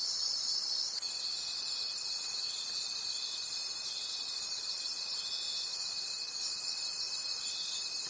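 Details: Night forest crickets keep up a continuous high-pitched chorus that swells in regular pulses roughly three times per second, while a faint sustained tone runs underneath from the first second onward.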